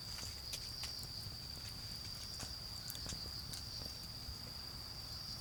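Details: Autumn insects trill continuously at a high pitch near a garden bonfire, punctuated by frequent crackling pops from the charcoal fire and a dull background rumble.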